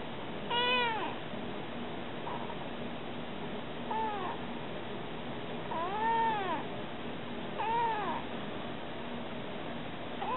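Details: Stray kitten, Baby Kady Jane, talking to people: four drawn-out, arching meows that rise then fall, spaced roughly every one and a half to two seconds, over a steady low hum.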